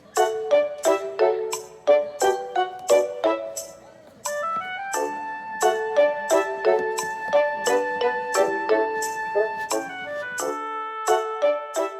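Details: Bright, bouncy piano music with quick repeated chords and short notes plays throughout, and no animal voice is present.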